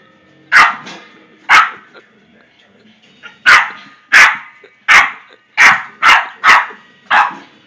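A Boston terrier gives sharp, high barks in irregular bursts, some coming in quick runs.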